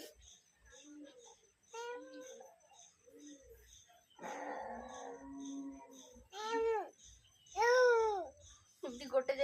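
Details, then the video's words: Pet cat meowing, several drawn-out arched meows rising then falling, the loudest near the end, after softer short vocal sounds and a brief burst of rustling noise in a small room. "My cat is meowing..... meow...meow..."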